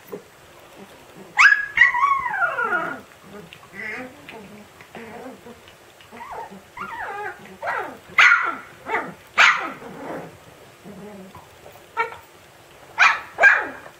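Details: Siberian Husky puppy yelling at its siblings: a series of sharp, high yelps and squealing barks, some sliding downward, coming in bursts roughly every second or two, with scuffling between.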